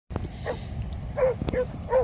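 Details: Rhodesian Ridgebacks giving three short, fairly soft barks near the end of a brief stretch, over a steady low rumble of background noise.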